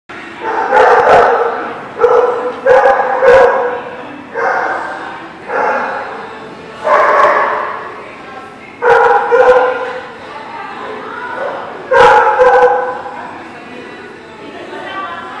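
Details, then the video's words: Dog barking on 12/08/17 in loud, harmonic barks grouped in short bursts of one to three, spaced roughly every one to one and a half seconds across the recording. "The Barking Lot"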